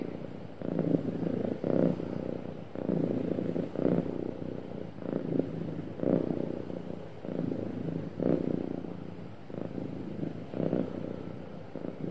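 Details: Happy domestic cat purring smoothly, a low rumbling purr pulsing in steady waves with each breath, swelling roughly every one to two seconds, close and clear with no other sounds.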